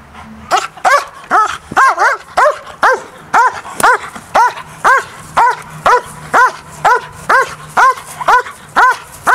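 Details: DDR-line German Shepherd named Briska in an early bite-training session, focused on the agitator rather than the sleeve; loud, harmonic barks repeated steadily about twice per second throughout, with little else audible.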